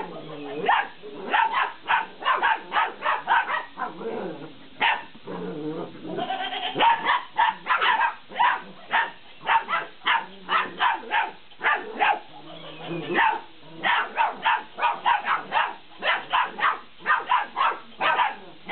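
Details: Belgian Malinois puppies, 50 days old, playing with a laughing cat toy: a rapid run of short, sharp yips and barks over nearly twenty seconds, broken briefly by lower drawn-out tonal sounds midway.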